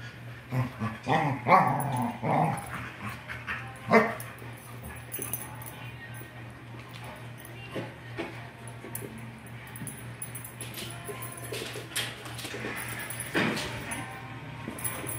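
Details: English Springer Spaniels wrestling in play, with a Weimaraner joining at the end; rough growling and vocal bursts in the first four seconds, then quieter scuffling with occasional sharp sounds and faint voices.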